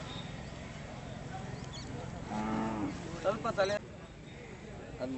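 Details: Hallikar oxen at the Badavanahalli cattle fair, with buyer and seller present; a single low, steady moo of about half a second rises briefly above people talking and general fair noise.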